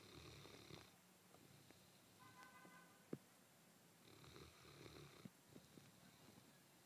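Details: A one-year-old Landseer Newfoundland snores on his bed on a Sunday morning: soft, rasping breaths in two long bursts about four seconds apart. A brief faint tonal hum and a few small clicks sound between them in a quiet room.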